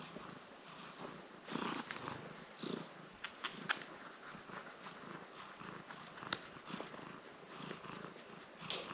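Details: Domestic cat named Nala, wearing a cone for a scratched leg, being scratched by her owner; soft continuous purring under rustling and scratching noises, with a few sharper clicks.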